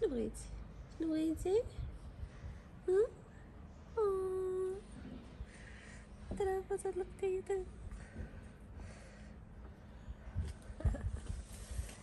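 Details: A stray tabby cat in Morocco, fed on the street, gives a series of short, sweet meows while a person talks softly to it.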